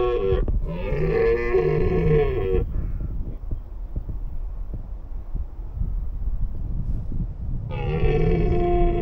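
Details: Red deer in the wild roaring during the mating period: a loud, hoarse, strongly harmonic bellow of about two seconds opens, then low rumbling background, then another roar begins near the end.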